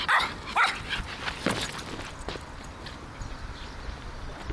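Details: A pet Griffon Bruxellois dog playing with a football indoors gives two sharp, high yipping barks at the start, followed by faint thumps and quiet room noise.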